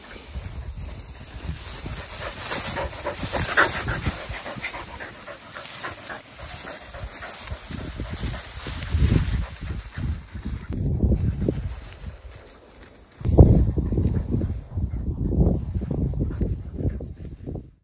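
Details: Whippet playing and chasing a new dog friend, heavy breathy panting and scuffling bursts throughout, louder thumps and rushes of movement in the second half, steady high hiss in the background.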